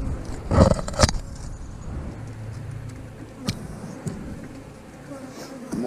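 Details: Loud bursts of frame-handling noise open the recording, then a continuous low buzzing of honey bees from an eight-frame hive being inspected, its brood frames holding eggs, larvae and drones, with occasional knocks.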